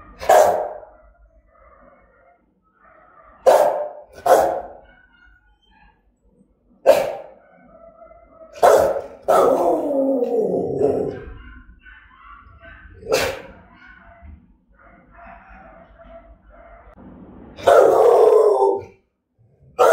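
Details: Rottweiler of German type giving threatening, aggressive barks: loud, sharp broadband barks at irregular intervals, some single and some in quick pairs, with a longer growling, drawn-out bark midway and fainter tonal sounds between.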